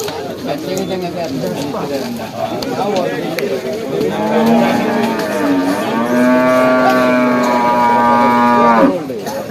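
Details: Water buffalo lowing at a Monday livestock market during buffalo trading, a long loud harmonic moo rising and holding steady for about three seconds, over an earlier bellow and busy market chatter.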